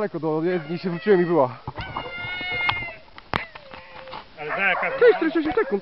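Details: Dogs Yolan and Adora during a bikejoring training free run at Sowinki, January 2015: eager, quavering howls and whines with wobbling pitch open and close the moment, a steadier drawn-out tone and a sharp click in between.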